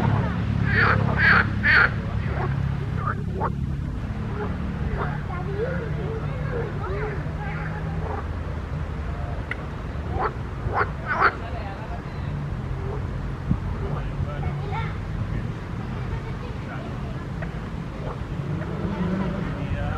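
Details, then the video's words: Several frogs croaking in a pond: harsh, pulsed croaks overlap in bursts, with a few loud clustered calls early on and steadier scattered croaks after, over a constant low rumble. "grenouilles chantes croasses leurs mélodies des grenouilles dans un etand d'eau"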